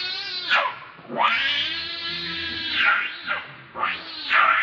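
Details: Baby monkey Leo, called Rainbow, angry and hungry, crying for its mother's milk; long, high, harmonic wails that sweep up and down, one drawn-out cry followed by shorter shrieks.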